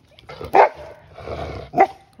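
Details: Male English Springer Spaniel scolding another spaniel for playing with the neighbour's cat: two sharp, short barks about a second apart, with low muffled background sound between them.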